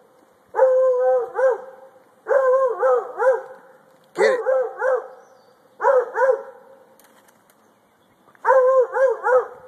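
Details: Treeing at a tree, a male Treeing Walker Coonhound barks in rapid bursts of two or three chopped, slightly wavering notes, five bursts spaced about one to two seconds apart, loud and ringing against a quiet background.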